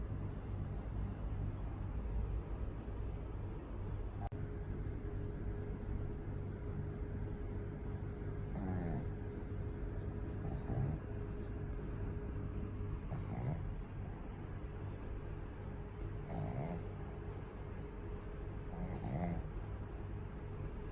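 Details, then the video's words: Hachiko, a pet pug, snoring loudly: rhythmic rasping snores recur roughly every two to three seconds over a steady low engine-like hum and a constant faint tone. "SNORING PUG : our Hachiko snores so loud"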